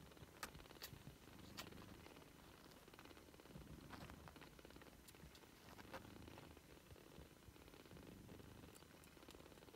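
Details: British Shorthair kittens at three weeks old, giving a soft, steady rumbling purr with a finely pulsed texture for the whole stretch, broken by a few sharp, faint clicks.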